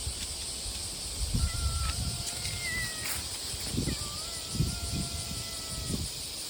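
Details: Cat called Shippo-chan walking up outdoors after meowing: two drawn-out, slightly falling tonal meows, a shorter one then a longer one, over a steady high insect drone with soft footstep-like thumps.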